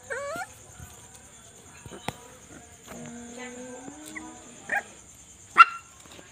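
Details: Night scene of puppies quarrelling and playing: a rising whine at the start, a long low steady whimper in the middle, then two short sharp yelps, quiet in between, over a thin high hum.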